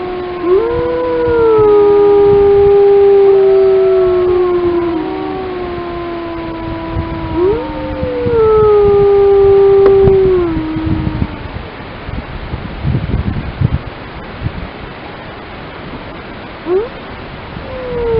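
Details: Grey wolves of the Lamar Canyon Pack howling in Yellowstone: several long, smooth, overlapping howls, one low voice holding steady while higher voices slide and waver above it, fading to quieter broken calls near the end.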